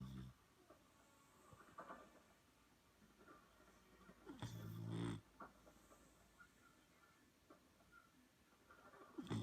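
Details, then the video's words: Boxer puppy asleep after a long day of playing, snoring: a loud rough low snore near the middle with fainter breathy snorts at the start and end, quiet room hiss between. "Boxer Puppy Snoring"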